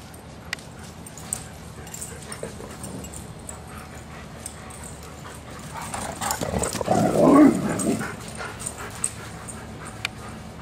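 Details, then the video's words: Dogs at play, one letting out a low, rough growl of around a second and a half midway through, with quiet rustling and faint scattered clicks before and after. "RELEASE THE HOUNDS, DOGS AT PLAY"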